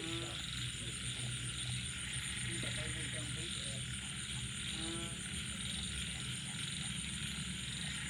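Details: After rain at night, frogs, small frogs and banded bullfrogs call together. Low steady croaking runs beneath bursts of rapid stacked chirps near the start, middle and end, over a persistent shrill insect drone.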